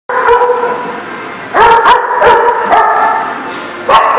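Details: Several dogs bark together on April 27, 2018: a steady harmonic chorus of overlapping calls, with sharper, louder barks standing out near the middle and at the end.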